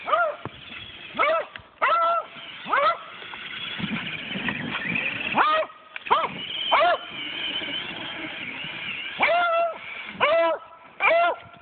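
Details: Beagle barking in 4 inches of snow at a remote control car, a Traxxas Summit, that it does not like; loud arched barks in bursts, some doubled, with quieter whining between and a motor whir underneath.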